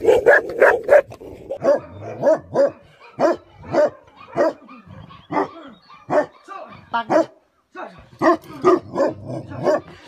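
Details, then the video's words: Angry barking from a Tibetan Mastiff, or Bhote Kukur, in Nepal: an opening flurry of fast overlapping barks, then single loud barks at irregular intervals of about half a second, with a brief silent gap before a final burst. "Angry dogs barking effect sound ||Tibetan Mastiff || Bhote Kukur"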